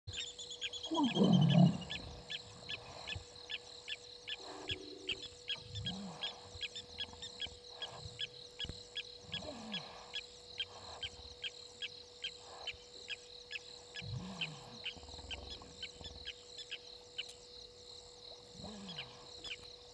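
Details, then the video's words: Two hippopotamuses sparring in Gowrie dam waterhole, Djuma Game Reserve, Sabi Sand Wildtuin, South Africa, at 19:22 on 16 November 2021, filmed by a live camera. A loud, deep, rasping roar bursts out early, then low grunts recur over a steady ticking chorus of frogs or insects and a constant hum. "Two Hippos in the dam still sparring"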